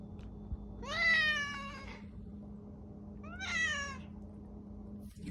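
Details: A male domestic cat gives two long, drawn-out meows, each rising then falling, asking to be let out into the garage after meowing for about five minutes.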